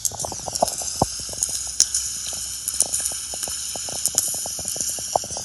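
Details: Snapping shrimp off Mull, recorded in what seems a cove with underwater reverb, crackle in a dense, irregular stream of sharp, persistent clicks over a steady hiss.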